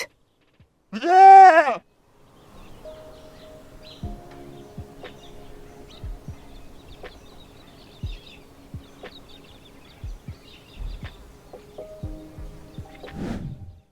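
A goat gives a single loud, wavering bleat lasting about a second, followed by soft background music with light ticking beats.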